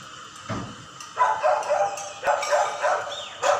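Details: Several neighbourhood dogs, said to come from a dog market next door and to bark day and night, bark in quick, uneven bursts of several barks a second over a steady background hum; it is a dog barking nuisance.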